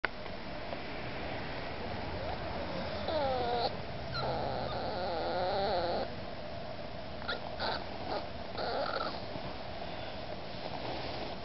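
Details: An 8-week-old male Miniature Pinscher puppy whines in high, wavering bursts while trying hard to climb onto the couch for attention.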